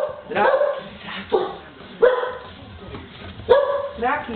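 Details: Tosa Inu puppies indoors in a kitchen, giving short high yips and bark-like calls roughly every second or so, with some speech mixed in.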